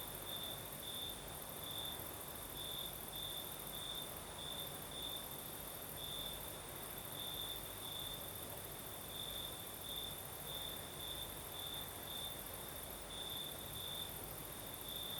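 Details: Night chorus of crickets in southern Crimea: a continuous high-pitched trill that swells into bright, regularly spaced pulses throughout, carried on a gentle night breeze that gives a constant airy rustle.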